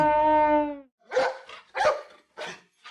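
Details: Dog barking: four short, rough barks come roughly every half second, each one a sharp burst, after a steady tonal sound at the start.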